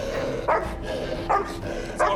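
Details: Mother dog of six puppies stuck under a kennel floor in Cape Town, South Africa, barking at rescuers before being restrained; three sharp barks about every three quarters of a second over steady low hum and background noise.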